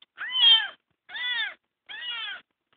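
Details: Kitten adopted after being found crying on the road repeats three clear, evenly spaced arched meows, each about half a second long, the first loudest, with silence between.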